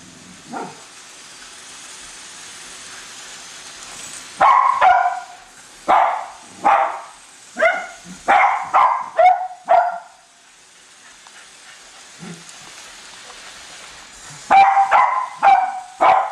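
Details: Two Cavalier King Charles Spaniels barking while chasing a new toy train around a Christmas tree: a lone faint yip, then a rapid burst of sharp, high barks, a pause with a soft whine, and another quick volley.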